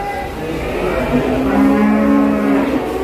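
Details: Pegon cattle newly unloaded from a truck at the Kliwon cattle market in Kudus, Indonesia; one low, steady moo lasting about a second and a half, over background music and murmuring voices.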